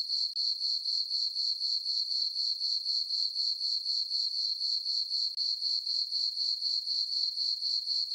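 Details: Crickets in a meadow on a farm during a peaceful summer night under a full moon, giving bright, metallic, evenly spaced chirps near four per second, with two brief dips in the sound.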